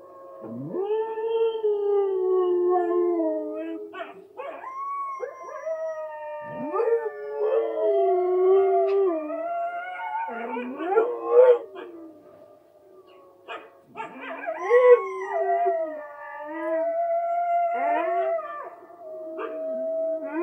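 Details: Richie the Siberian husky howling with wolves on television: repeated rising and falling howls, several voices overlapping, short pauses between bursts and quieter gaps.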